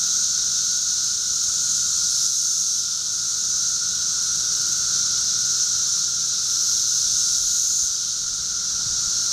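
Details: Thirteen-year cicadas in a backyard in Charleston, Illinois, on June 1, 2011: a dense, unbroken high hissing chorus with a steady droning band beneath, swelling slightly and easing, many insects calling at once.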